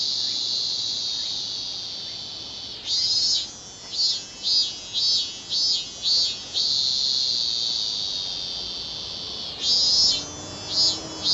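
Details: A robust cicada, the minminzemi, in a high shrill buzzing drone. It breaks into a run of pulsed bursts, about seven evenly spaced pulses, then returns to the steady whine and pulses again near the end. No other sounds are heard.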